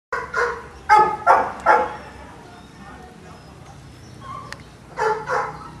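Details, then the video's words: Boston Terriers at Perrera Jamundí kennel near Cali, Colombia: four short, harsh barks in quick succession, a pause with faint background hum, then two more barks close together. "Boston Terrier"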